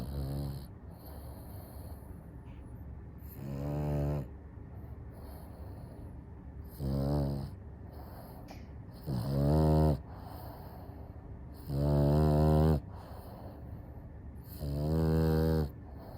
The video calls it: French Bulldog- Snore